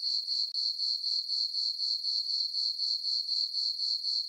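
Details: Full-moon summer night on a farm, meadow crickets chirping: continuous piercing high-pitched pulses at a brisk even pace near four per second, one brief dropout early, otherwise only the insects.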